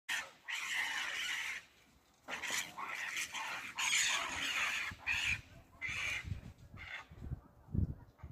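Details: Two Barbary macaques fight, giving harsh, broadband screams and squeals in noisy bursts.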